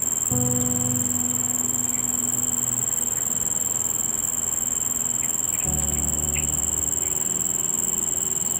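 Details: A male Nisitrus vittatus cricket stridulates, rubbing its raised leathery front wings together to attract females, giving a continuous, very high, thin trill over soft background keyboard music.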